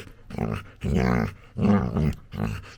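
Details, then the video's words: Labrador Retriever puppy playing with its owner makes funny noises: four low, harmonic grumbling bursts of about half a second each, separated by short pauses. "Cutest Puppy Makes Funny Noises While Playing With Dad"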